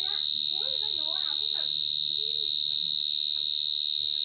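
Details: Cricket heard up close in 2022, a sustained shrill, finely pulsing chirp at a constant high pitch, while a faint human voice speaks briefly underneath at the start.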